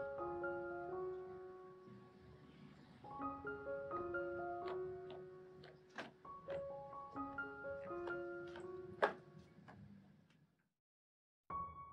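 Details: Gentle piano melody with sparse notes, fading into near silence before briefly resuming, and no animal voices.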